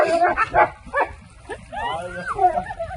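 A pit bull-type dog makes odd, nasal quacking grunts, several quick bursts, then wavering, whiny sweeps. A person's voice may be mixed in.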